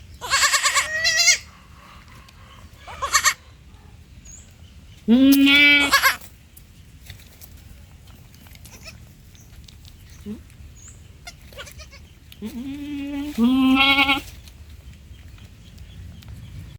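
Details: Baby goat bleating: several loud, wavering, harmonic-rich bleats of about a second each, spaced irregularly with a few seconds between, over a soft steady background hum.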